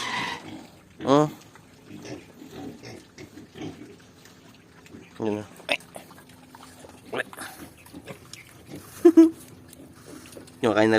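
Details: Young native piglets, about two weeks old, eat quickly while being fed. Several short, sharp squeals break out at intervals between quieter snuffling and grunting, with a person speaking nearby.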